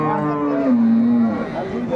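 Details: A dairy cow or calf of an improved milk breed at Ambari livestock market, 21 May 2024, gives one sustained low moo that dips slightly in pitch midway. Market voices murmur behind it.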